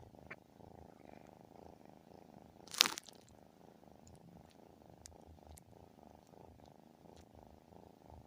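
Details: Steady low purring from a cat, described as the loudest ever heard or possibly snoring, runs in soft rhythmic pulses; a loud rustling thump breaks in early, then scattered light clicks.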